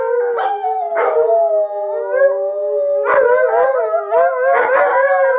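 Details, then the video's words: Alaskan Malamutes Sojou, Fish and Dotty howl excitedly while seeing themselves from sled dog training; chorus of sliding, bending howls over one another, with clustered yelps early and again in the second half. "Alaskan Malamutes Howling Again...Why?"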